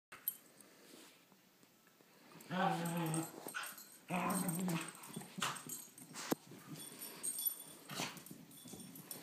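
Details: Two dogs at play, a 17-month-old Beagle mix and a 10-month-old Great Pyrenees, indoors; two short throaty growl bursts around the middle, surrounded by scuffling, thumps and rustling movement noise.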